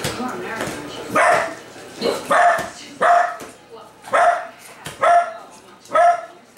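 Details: Male dachshund barking in a rage at delivered Amazon packages, which he tears up whenever UPS or FedEx delivers; sharp barks repeated roughly once a second in short bursts, with some human speech in the background.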